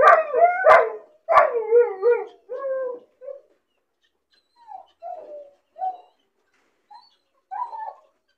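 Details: A lonely puppy, bored and caged alone, opens with loud yelping barks and wavering cries that fade into scattered faint whimpers separated by pauses.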